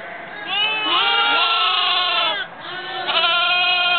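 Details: Lambs in November 2009: a long, loud, wavering bleat of about two seconds, slightly rising, followed after a short pause by another strong bleat, with softer background bleating beneath.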